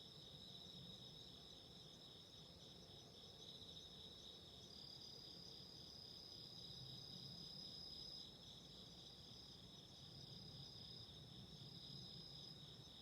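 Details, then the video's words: Chorus of autumn insects in the background with a candle fire: layered high-pitched trills running without pause, softer in level, over a broad low crackling rumble that stays constant throughout. "Relaxing Candle Fire and Insects burping 癒やしのキャンドルの炎と虫の鳴き声"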